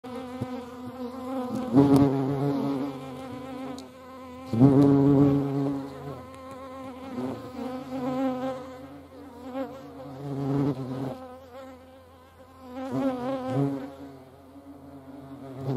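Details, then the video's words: Hornets at a feeding place, their wings making low droning buzzes that swell and fade as they fly past, with several louder passes around every three to five seconds. "Hornissen am Futterplatz. hornets at food."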